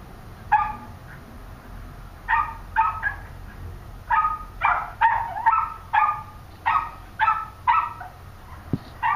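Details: Pet Cairn terrier and West Highland white terrier giving spaced, sharp barks, some in quick pairs, with quiet gaps between bursts.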